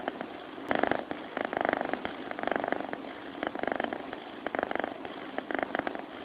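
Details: Cat purring in its sleep, rhythmic rattling rumbles about once a second as breaths alternate, steady and close.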